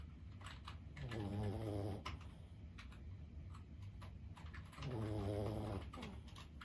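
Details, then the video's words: Lulu, a 15-year-old senior Boston Terrier, snoring while asleep: two long, low rumbling snore breaths about four seconds apart, with light clicking like keyboard typing between them. "シニア犬15歳 作業のお供に最高のBGMはいかがですか？ブヒブヒ【Boston Terrier Lulu】"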